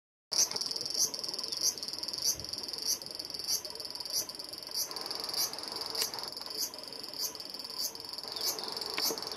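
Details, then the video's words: A male large brown cicada (Graptopsaltria nigrofuscata) on a black locust trunk by a Japanese riverbank sings a steady, high, sizzling buzz with regular pulses to attract a female, on a sunny early-August afternoon around 12:55 PM. "Large Brown Cicada in Tree-climbing, Singing, & Takeoff 240fps"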